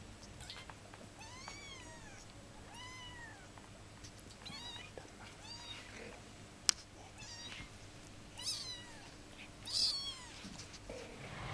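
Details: Shrill, rising-then-falling mews from 15-day-old kittens, several in quick succession early on, then sparser cries, with one sharp click midway and a faint background hum.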